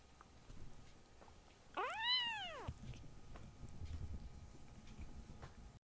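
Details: A loud little rescue kitten among older brother cats: one drawn-out meow arching up then down over almost a second, with soft rustling and movement noise before and after.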